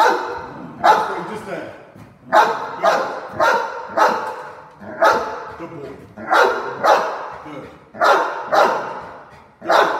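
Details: Cane Corso guarding during a home invasion role play, letting out a long run of deep, heavy barks, single and in pairs, roughly every second, with a man shouting threats nearby.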